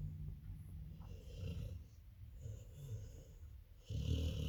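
Labrador puppies and their mother snoring in their sleep: low, rumbling, uneven breaths with soft snorts, growing louder near the end.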